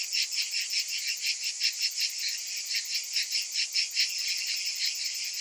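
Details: Summer cicadas produce a shrill, pulsing drone, the buzz rising and falling roughly two and a half times per second over a constant high hiss.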